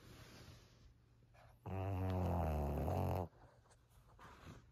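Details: Maria, a thirteen-year-old fawn female senior Pug in Japan, snores indoors: one loud, rasping, harmonic-rich snore lasting about a second and a half, with quiet room noise before and after.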